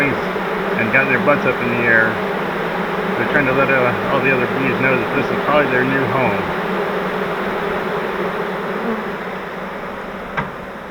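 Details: Honey bee swarm caught in a flowerpot bait hive, being moved into a Langstroth hive: a dense, steady hum of many wings, with a person talking over it for the first six seconds, then the buzzing alone.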